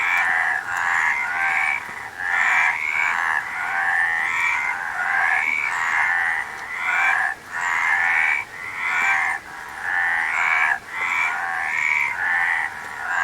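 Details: A frog chorus from a nature sound recording: overlapping raspy croaks come in repeated surges about once a second, each burst carrying a bright rising whine over continuous buzzy trilling.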